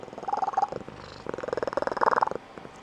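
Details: A female Blue Point Tonkinese cat gives a squeaky, high-pitched trilling purr in fast, even pulses with a chirping edge; she makes it when waking her owner each morning or when excited, and ends abruptly; Tonkinese cat.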